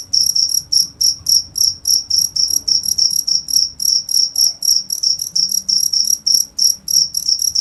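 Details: A cricket sings a rapid run of short, shrill chirps, roughly three per second, even and unbroken across the recording, with only a soft low background murmur.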